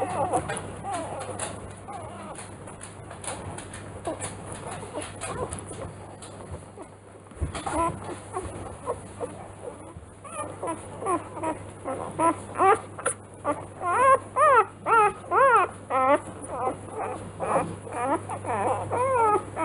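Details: Litter of three-day-old Rottweiler pups, Ziva van Angfiero's B litter, Kennel Angfiero. Soft muffled whimpers build into a run of about a dozen loud, bent, squealing cries in the second half, over a steady low hum.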